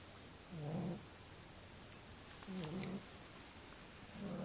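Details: Sleeping small dog giving soft, low snores: three muffled, droning breaths about two seconds apart over a steady background hiss.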